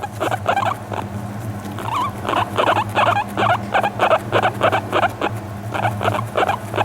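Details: Relaxed guinea pig fawning on a lap during brushing, new to the home for a month: quick series of short warbling chirps with wavering pitch, about three per second, over a constant low hum.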